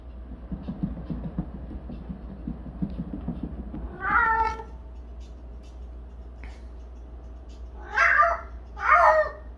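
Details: Cat named Jinam on a cat wheel, which it cries on daily: a rumbling rolling noise at first, then three wavering meow-like yowls, the last two close together, with a constant low hum.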